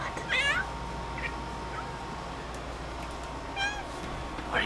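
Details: Pet cat spotting a bug on the ceiling makes a pair of fast, stuttering chirps with stacked harmonics at start and again near the end, quieter clicks between, soft hum throughout.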